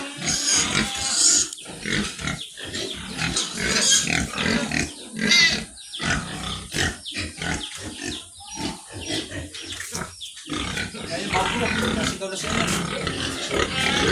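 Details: Sows in a pen making a dense run of harsh, noisy squeals and grunts, overlapping and irregular, with bursts coming roughly every second and a constant rough background clamor.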